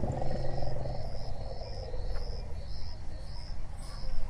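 An elephant gives a deep, throaty rumble while insects chirp faintly and steadily in the background.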